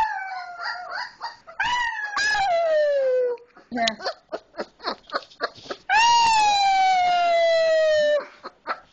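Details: Young male wolf pup, one of four pups taken in together in 2010, giving his first howl: long, clear, falling howls, one early and one late, with short yelping notes in between.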